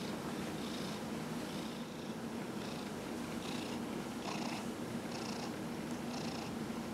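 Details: Dillard, a 15-year-old domestic cat being treated for small cell lymphoma, purrs steadily while receiving a massage indoors on November 27, 2018; a low continuous rumble with soft breathy hisses recurring about every three quarters of a second, over faint room hum.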